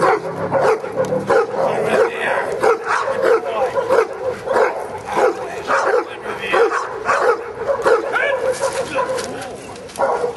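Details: Giant Schnauzer Luther working in prey at a Schutzhund session, January 31, 2009, barks in a steady, insistent stream of about one and a half per second while people talk and give commands.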